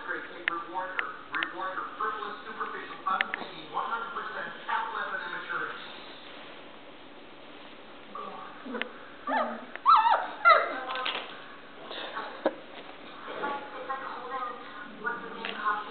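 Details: Standard Poodle puppies at play, learning to bark: thin, high whimpers and short yips in irregular bursts, mixed with a woman's affectionate talk, background music and applause-like noise.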